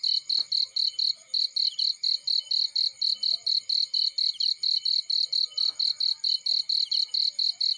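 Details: A cricket in a field gives a rapid series of piercing, high chirps, about four a second, while faint scattered clicks and soft crackles sound underneath.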